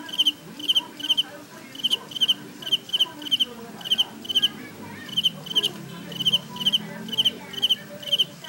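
A cicada sings in sharp, high buzzy pulses grouped in quick bursts, repeated steadily.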